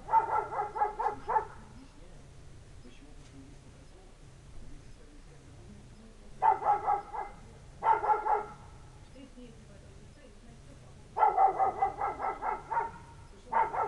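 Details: Village dog barking for no visible reason on a winter night as it waits for its owner: bursts of rapid repeated barks separated by pauses of several seconds, over a faint low hum.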